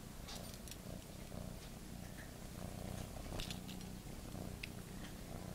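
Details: Teddy, a pet cat, purring steadily: a low, rumbling, pulsed hum that runs through the whole stretch, with faint clicks and light rustling above it.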